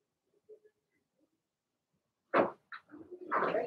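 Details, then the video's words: Blenheim Cavalier King Charles Spaniel puppies, Remy's litter of six, in an indoor puppy pen; after near silence, a loud harsh yelp, a short yip, then a longer rough howl-like bark close at hand. "Cavalier Puppies Bark, Howl"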